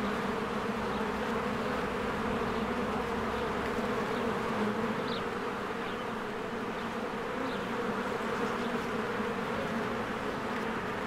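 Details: A spring beehive with swarms of bees flying in and out, recorded on a Canon EOS R. It gives a thick, constant buzzing hum with steady low tones, and occasional soft, thin bird notes rise above the drone.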